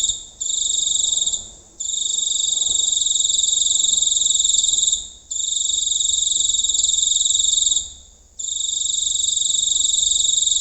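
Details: Giant cricket recorded up close at night in the countryside; a steady, high, buzzing trill in long bursts of about three seconds, split by short pauses, with two bright tones stacked one above the other and no other sounds.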